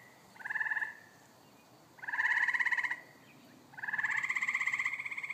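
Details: Pond frogs at evening: three grating, pulsed croaks, each longer than the one before, about a second apart, over quiet background hiss.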